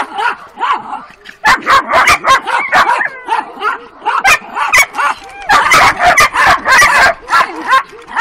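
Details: Twelve-week-old working-type Kuvasz puppies, two females, on their first street walk on 28 April 2017. Loud, continuous high-pitched yips and whimpering barks come in quick succession, with wavering whines between them.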